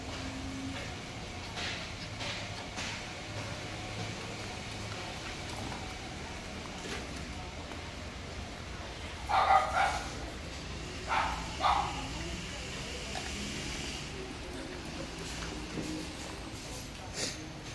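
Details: Chow Chow. A Chow Chow barks a few times, with a quick pair of gruff woofs and then another short burst a second or two later. A low, constant background noise runs throughout, and faint voices may be present.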